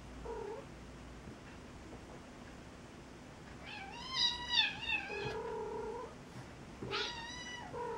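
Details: Cat befriending a kitten: a long wavering meow with a strong, bright harmonic stack around four to five seconds, followed by a brief sharper meow near seven seconds, in a quiet room with low hum.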